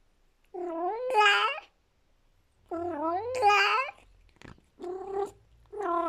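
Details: Persian cat, a talkative female, yowls with pleasure over a delicious treat when no one is around. Drawn-out, bending howls come in three or four bouts, some rising to a harsh, strained peak, with soft clicks and chewing noises between them.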